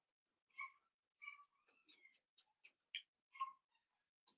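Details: Blenheim Cavalier King Charles Spaniel puppies, five littermates aged seven weeks, kept in an indoor pen; thin high yips and whiny squeaks come in uneven clusters, with small clicks and scuffling between them.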